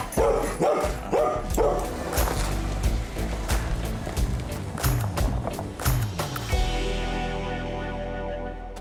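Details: Hunting dogs bark in sharp, excited bursts, about one a second, over background music and a man's voice during a late-season pheasant and quail hunt on public land in Kansas.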